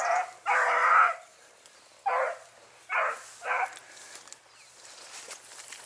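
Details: Several short, hoarse barks from Dachshunds working a driven fox hunt, Victoria, 23 October 2022. One longer drawn-out bark is followed by three clipped ones spaced about a second apart, then quiet outdoor background.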